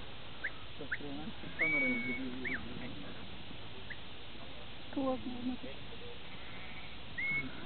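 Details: Organic Swedish sheep gathered by a herding dog: two loud, quavering, drawn-out bleats about three seconds apart, with sharp high whistles and quick whistled chirps around them, plus faint talking in the background.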